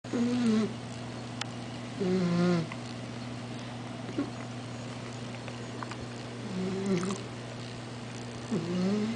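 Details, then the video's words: A sleeping 4-month-old Basset Hound puppy snores in its owner's arms, in short, tonal, slightly whiny breaths every couple of seconds. "Baby Basset Hound - Roscoe snores!"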